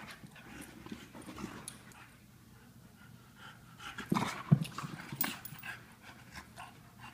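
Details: An English Bulldog and a Wheaten Terrier playing together; rapid, breathy panting at roughly 150 breaths a minute, mixed with scuffling and thumps, with a louder burst of movement near the middle.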